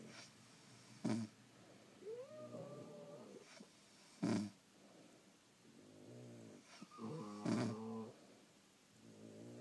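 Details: Snoring from sleeping French Bulldogs in a quiet room: sharp snorting bursts every few seconds between longer, softer wheezing and whistling breaths, roughly nineteen per minute.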